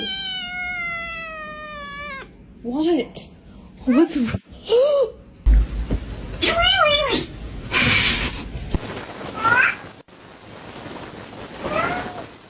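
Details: Domestic cat meowing: a long falling meow, then a string of short arched meows, with background noise, a change of room sound and a faint voice among later softer calls.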